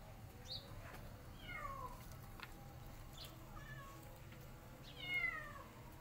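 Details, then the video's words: Hungry kittens, five of them with their white mother cat, give thin high meows that slide downward, scattered through the clip with the loudest near the end, over a low steady background hum. "White Mother Cat And Her 5 Crazy Hungry Kittens"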